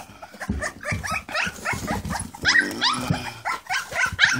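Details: English Springer Spaniel puppies, six left in the litter, crowd around puppy mash and let out a run of short, sharp yelping whines about three per second, some rising steeply, amid feeding sounds.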